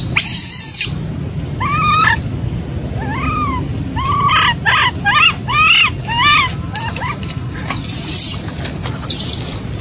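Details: Motherless baby macaque crying heartbreakingly: a loud shrill burst, then repeated short arched cries, roughly two per second at the peak, fading into softer high squeals against a low rumbling background.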